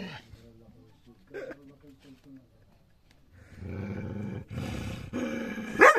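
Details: Dog reacting to its own reflection in a mirror: soft low voiced sounds at first, then a run of rough, noisy growling bursts building louder over the last three seconds and ending in a sharp outburst.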